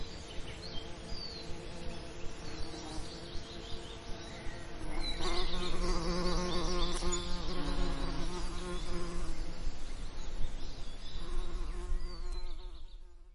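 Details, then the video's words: Summer lavender ambience with a bee: a steady low buzzing hum builds from about five seconds, wobbling in pitch and lingering until near the close, with faint high chirps and soft background hiss. "Relaxing Lavender Summer Ambience & Bee Sound Effects"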